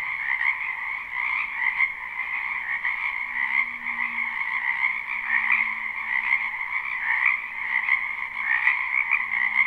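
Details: Spring wetland frogs in full chorus, recorded live: steady high-pitched trills overlap into a constant shimmering wall of sound, with a faint low hum drifting underneath.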